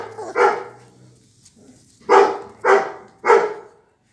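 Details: Raven's blue American Pit Bull Terrier pups, twenty-four days old, give one hoarse bark, fall silent for over a second, then fire off three sharp yaps in quick, even succession.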